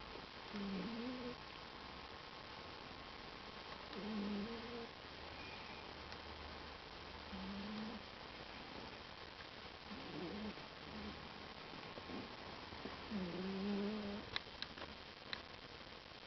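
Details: Sleeping pet cat snoring loudly indoors: low, rough harmonic snores recurring about every three seconds, each a short pulsing breath, over a steady faint background hum.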